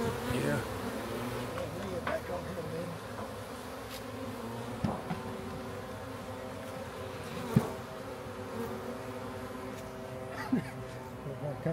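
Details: Massive swarm of honey bees being captured from a backyard to give them a new home; a dense, steady droning hum layered in low tones, broken by sharp knocks and handling noises.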